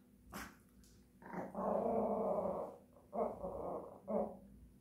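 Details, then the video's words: Japanese Chin singing in drawn-out harmonic howls: a long wavering note of about two seconds, then two shorter rising-falling bursts, each steady in pitch with rich overtones. "Japanese chin singing songs"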